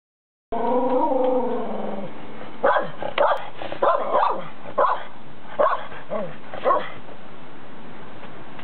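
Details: Keeshond dog in Japan at a pool it seems afraid of, wanting a new toy: a long wavering whine, then a run of short, sharp yips and barks roughly every half second over steady background hiss.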